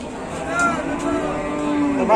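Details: Dairy cow giving ten litres of milk, offered for sale on a farm, lows in a long, steady, low moo that holds one pitch, with a constant engine-like rumble and faint voices behind.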